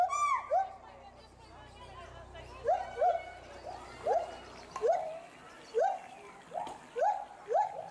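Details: A pair of endangered agile gibbons, a male and a female, at a zoo give a series of loud, rising hooting whoops about every second, agitated by something unseen in the bulrushes below, possibly warning calls.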